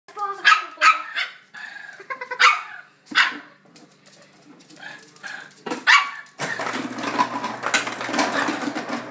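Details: Two Shih Tzu dogs, a younger and an older one, fighting at home, the younger one yapping in short sharp barks in bursts, then a stretch of rougher scuffling noise and a person's voice.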